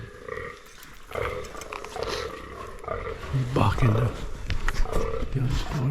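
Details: Fallow deer bucks during the 2023 rut, where about fifteen bucks gathered at a scrape, give deep, rough groans repeated roughly every second, with low throaty bursts and quiet spoken words between them outdoors.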